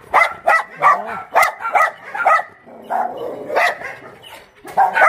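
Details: Barking from abandoned dogs housed at Mindeulle Shelter in Yangsan: quick sharp barks in runs, a short whining yelp, a softer stretch, then renewed loud barking at the close.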